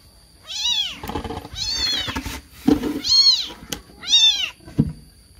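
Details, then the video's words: Kitten crying out while searching for its mother: four loud, high arched meows with quieter rustling and a few clicks between them. "SUARA ANAK KUCING MENGEONG NGEONG, KEBINGUNGAN MENCARI INDUKNYA"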